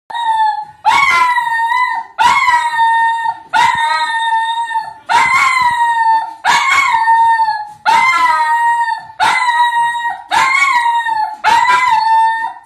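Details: Pet dog singing in front of a television, giving long steady howled notes, each opening with a sharp yelp and repeated roughly every 1.3 seconds in an even rhythm.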